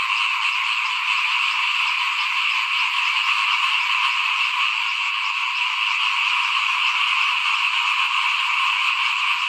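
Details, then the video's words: A chorus of small frogs sounds in front of a house as rice is sown in 2021. Countless overlapping croaks merge into an even, shimmering drone that never pauses, with nothing else standing out. "ฟินๆกับเสียงเขียดร้องหน้าบ้าน ตอนหว่านข้าวเตรียมปลูกปี2021"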